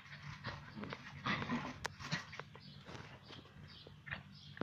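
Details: Rough Collie puppy attacking a broom; brief rough growls and a whimpering whine in short bursts, mixed with sharp clicks and scraping of the brush against the floor, steady low background hum.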